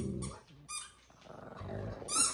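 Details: Pet dogs at home interrupt their owner's attempt to relax and watch TV: a short low, rumbling growl with a higher whine, then a sharp squeaky yelp at the end.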